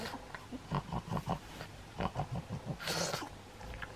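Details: Pug named Maria, recorded 15 August 2021, giving a short series of low, nasal snorting grunts, about a dozen pulses spread unevenly over four seconds, ending with a brief hissing burst of breath or rustle.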